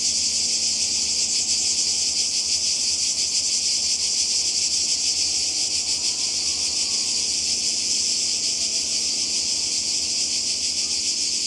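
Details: Relentless high-pitched cicada buzzing by the sea in Croatia, summer 2020, a thick shimmering chorus with fast pulses and a faint low hum underneath.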